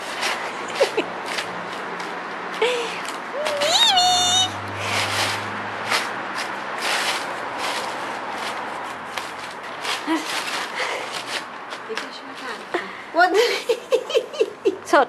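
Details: Pet cat Mimi at play, pouncing around paper, gives a few short rising mews early on and a burst of quick chirping calls near the end, amid Italian speech, rustling and a brief snatch of music.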